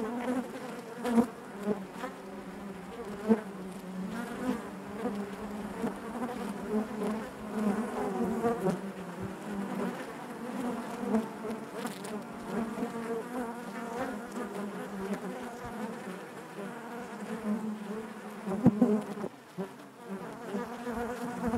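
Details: Honey bees inside their hive, a steady dense hum of many wings centred low with layered harmonic bands, swelling and easing with occasional sharper buzzes as single bees pass close.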